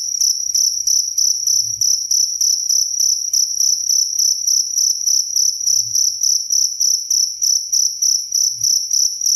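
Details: Very clear cricket chirping meant for tutoring songbirds and lulling to sleep; high, ringing pulses repeated steadily about three to four times a second over a faint low rumble.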